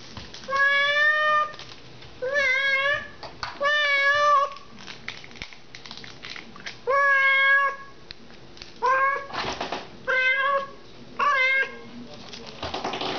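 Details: Domestic cat indoors with a scratching post and silvervine, giving about eight drawn-out meows, each held near a second, some rising then falling, spaced by short pauses in a small quiet room.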